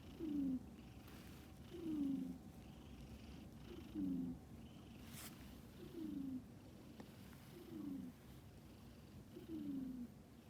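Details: Domestic tomcat snoring with regular, gravelly, low exhalations that fall slightly in pitch, six breaths spaced about two seconds apart, a quiet hiss underneath.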